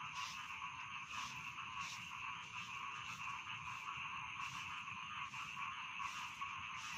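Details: Chorus of rice field frogs for falling asleep: a continuous buzzing and trilling drone overlaid by rhythmic raspy croaks repeating about once per second, with no other clear sounds.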